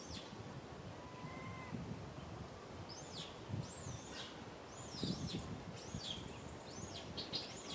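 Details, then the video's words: Baby monkey Rain wailing in a tree, asking for milk from mother Rany; after a quiet start, loud, looping high cries rise and fall in quick bursts over low outdoor rumble. "Little Monkey RAIN cries loudly on the tree so sad asking for milk Mama RANY"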